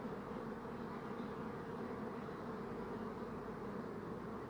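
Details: Buzzing bees at work: a constant, rich low droning hum from many insects, even and uninterrupted from start to finish.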